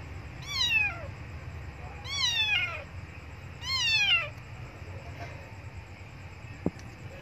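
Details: Three loud, high meows about 1.5 seconds apart, each sliding downward, from an abandoned kitten crying for milk near a Buddhist monastery; low hum underneath and a single click near the end.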